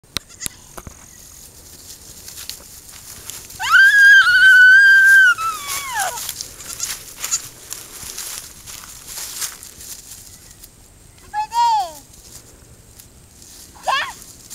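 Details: Newborn goat, born the night before, handled and kissed by a small child on a farm; one long, high, wavering bleat lasting about two seconds, followed later by two brief, sharper bleats, with quiet background.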